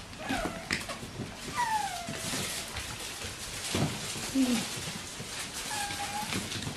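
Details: Bichon Frisé puppies of litter O & P whine in scattered, drawn-out, downward-sliding whimpers separated by pauses, with faint human voices and household noise behind.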